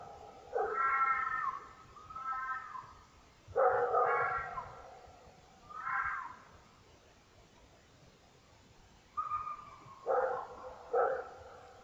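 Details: Red fox recorded by a trail camera during the rut, not in distress, screams repeatedly: harsh, hoarse, rasping wails wavering in pitch, each lasting up to a second, in irregular bursts separated by short quiet pauses.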